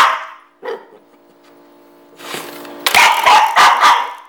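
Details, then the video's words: Pet dog reacting to a twanging door stopper spring: a ringing metallic boing fades out, then a burst of loud, rapid, harsh barks follows in the final second and a half. "Dog Hates Door Stopper Spring!"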